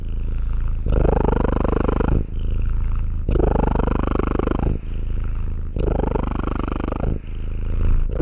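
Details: Close, loud purring from a house cat, the low rattling hum rising on one phase and easing on the next, about three cycles, clean with no background noise.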